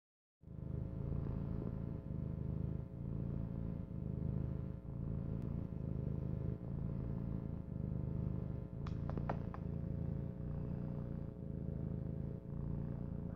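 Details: Female kitten purring contentedly: a deep, rumbling purr that pulses steadily with each breath, rising and falling in even cycles, with a brief soft click partway through.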